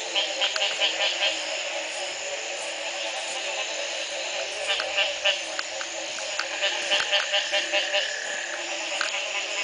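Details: Frogs chorusing at Belize's Community Baboon Sanctuary in 2010, the morning after a night of rain ended a three-month dry spell; rapid repeated upward-sweeping croaks layered with quick clicking pulses and a dense, steady high hum of calls.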